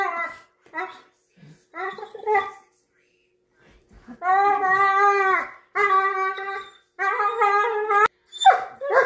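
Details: Two Weimaraners fighting over a corner seat give drawn-out, whiny grumbling growls, several seconds each.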